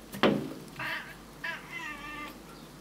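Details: Male Burmese cat swearing at birds, indoors: a sharp click, then three wavering, strained meows in quick succession, the last one drawn out and quavering.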